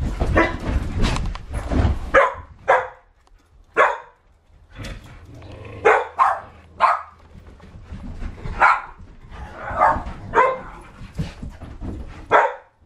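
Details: Several dogs playing in 2009, among them rottweiler, akitas, rough collies and a japanese spitz; repeated short sharp barks and yips in quick bursts, some overlapping, with rustling between them.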